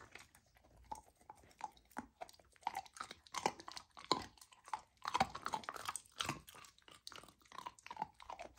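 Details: Golden retriever puppy Lilo tries raw lamb for the first time, chewing steadily with sharp, crunchy bites and wet smacks, about one bite every half second, with quiet gaps between them.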